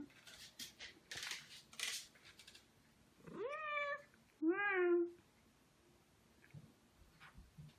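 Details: Ragdoll pet cat, from a pair aged two years eight months and two years four months, relaxing on a peaceful weekend: rustling and thumps, then two distinct meows, the first rising and bending, the second lower and drawn-out.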